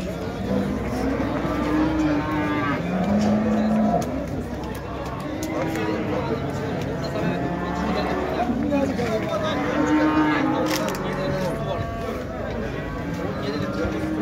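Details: Cattle at the Şarkışla livestock market in Turkey, 8 January 2022, on a crowded market day in mild weather: several low, drawn-out moos rise and fall over steady crowd chatter and background noise.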